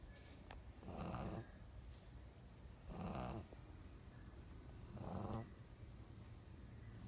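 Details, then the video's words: A sleeping pug snoring: three broad, rasping breaths roughly every two seconds, each low rumble lasting about half a second, with quiet pauses between. "the Pug Snores"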